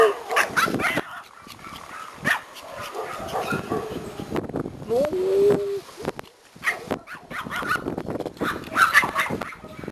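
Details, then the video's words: Excited Pomeranian toy poms welcome their owner home after a vacation: bursts of yips and yelps, a drawn-out, slightly rising whine near the middle, human voices and handling noise around them. "Reunion - POMERANIANS very HAPPY to see mom"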